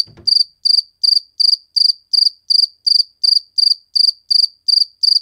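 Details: Cricket chirping, recorded while filmed in slow motion: a steady train of bright, high-pitched pulsed chirps roughly every third of a second, after a short low rustle at the start.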